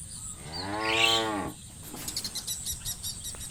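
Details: A shepherd's cow, herded through muddy rice fields to a livestock pen, gives a long, rising and falling moo lasting over a second.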